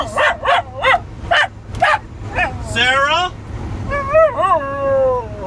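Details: Wire Fox Terrier, homesick and missing her family, howls when her owner coaxes her: a string of short rising-falling yips leading into long quavering howls that waver up and down, with a human voice joining briefly.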